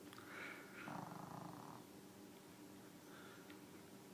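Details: Snoring from Susie, a deaf dog asleep in a bed: a couple of raspy, throaty breaths in the first two seconds, then softer snuffling over a low steady hum.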